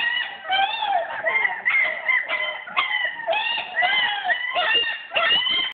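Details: Locked in the whelping bed while their room is cleaned, German Shepherd puppies keep up steady, piercing whines and short yelps, many voices overlapping in a continuous indoor chorus.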